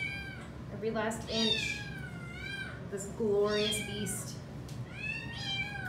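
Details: A female Domestic Shorthair shelter cat, available for adoption, recorded on 15 October 2020, gives several drawn-out rising-and-falling meows, each lasting about a second. A woman talks softly to her between and over the calls.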